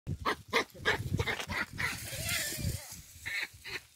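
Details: Baboons in the wild giving a rapid series of short, harsh, bark-like grunts, about three per second, with broadband pulses and a faint tonal overtone midway.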